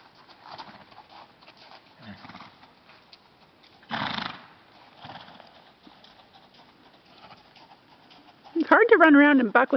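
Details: Kazan the Gypsy Vanner horse, wearing his blanket after running around and bucking, gives a loud, quavering whinny at the end, after soft talk, a snort and shuffling hoofbeats.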